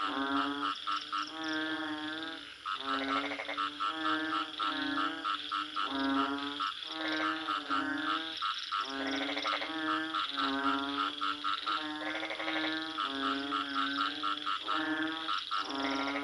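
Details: Steady chorus of frogs giving drawn-out, nasal honking croaks with a reedy, buzzy timbre, calls overlapping and following each other almost without pause.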